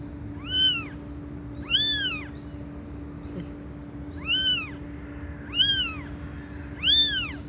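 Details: Loud cat meows, five arched calls spaced one to one and a half seconds apart, each swelling up and sliding back down, heard against a constant low electrical-like hum.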